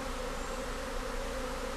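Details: British honey bee colony swarming and being coaxed into a hive by a beekeeper; even, continuous buzzing drone with a strong low hum and no other clear sounds.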